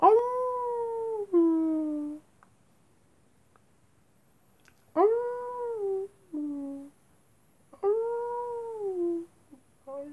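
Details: Wolves at night howling in short, smooth, tonal wails, each starting higher and sliding downward, some broken into two parts, repeated about every three seconds against a quiet background.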